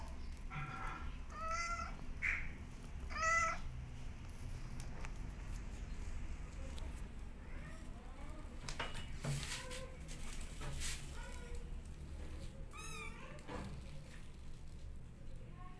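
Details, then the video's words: Mother cat calling her kittens back as they run to her; a few clear, harmonic meows early on, then softer, higher chirping meows near the end, all over a steady low rumbling background. "Obedient Kittens Running Back To Mother Cat When She Calls Them Back"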